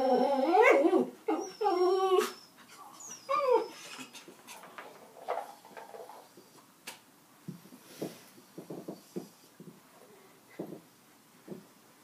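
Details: Dog in a small indoor room giving drawn-out whining, yodel-like vocal cries with wavering pitch for the first few seconds, then quieter short huffs, snorts and scattered soft sounds.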